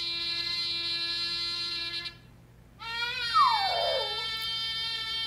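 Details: A six-month-old Miniature Schnauzer sitting on its owner's lap howls along with an annoying trumpet sound from an interactive web page, its voice sliding down in a short wavering wail.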